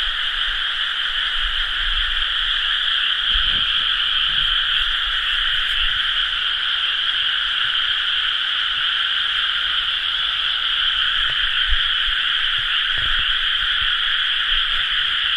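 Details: Paddy-field frogs massed in chorus at rice-planting time, recorded 30 May 2011; their overlapping rapid croaks merge into a constant two-toned buzzing drone, with occasional faint low knocks.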